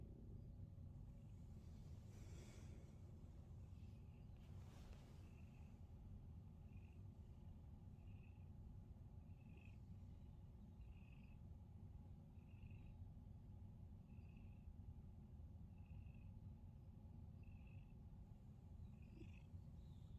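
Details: Male pet cat being massaged as part of a daily morning routine; a constant deep rumbling purr runs throughout, overlaid by short faint high beeps repeating roughly every second and a half, with a couple of soft knocks early on.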